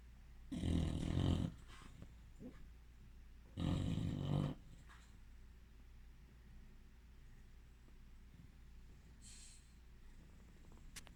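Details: Bulldog asleep, giving two loud, gravelly snores about three seconds apart, followed by several seconds of soft, quiet breathing in a small room.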